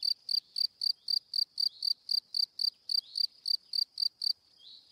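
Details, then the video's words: Single cricket giving short high chirps in a quick regular train, roughly four per second, then stopping near the end with a faint trailing note; quiet background otherwise. "Cricket Sound - Cri Cri - Cricket Singing"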